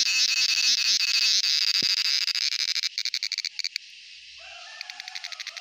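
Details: A male cicada, sounding by flexing the tymbal membrane in its abdomen (females are silent), gives a loud, shrill, continuous buzz that breaks into rapid pulses before fading.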